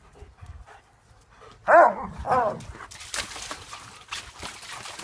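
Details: Two sharp, slightly whiny barks close together from German Shepherds playing in a pool, followed by steady splashing and sloshing water.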